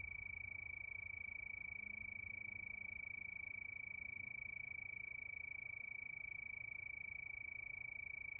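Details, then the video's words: Night cricket chorus: one unbroken high trill of fast, evenly spaced pulses at a constant pitch, with a soft low hum beneath. "Sound of Crickets"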